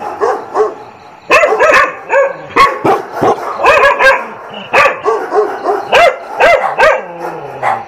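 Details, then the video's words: Dogs barking intensely, dramatic and overlapping: several voices of differing pitch, sharp harmonic barks and yelps in quick irregular bursts, some falling whines between them, used as a training test so a dog learns not to react to other dogs barking. "DOG BARK TEST"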